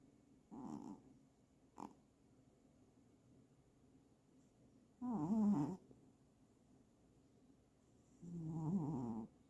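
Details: Cat snoring in irregular bursts: a short snort, a faint click, then two longer rough, low, wavering snores several seconds apart, with a quiet room between breaths.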